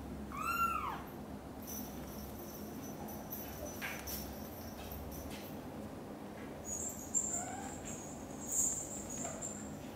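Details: Indoors with British Shorthair cats as kitten Cream first leaves the nest and mother cat Xaxa nervously follows her. One loud arched meow at the start, rising then falling, followed by faint scattered clicks and rustles over a low hum.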